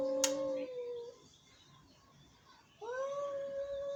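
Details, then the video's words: Angry cat meowing indoors: a short level meow that trails off, a quiet gap with soft background hiss, then a rising drawn-out meow held to the end. "Angry Cats.Meowing."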